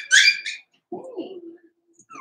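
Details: Four-week-old Cavalier King Charles Spaniel puppies from Daisy's litter, indoors in their pen: a loud, high, piercing squeal opens, then a lower wavering moan slides downward and fades, with a faint squeak at the end.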